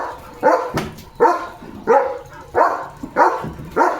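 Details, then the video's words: German Shepherd dog getting soaked while playing in the monsoon rain, barking loudly and boisterously: six sharp, evenly spaced barks, one roughly every two-thirds of a second, with light background noise between them. "The German Shepherd पावसात भिजत भिजत भुंकतोय"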